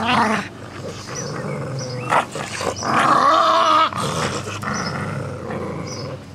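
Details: Two Jack Russell Terriers playing with a soft toy rabbit: rough, raspy growls rise and fall throughout, with a louder, sustained harmonic snarl near the middle and short scuffling noises between bursts.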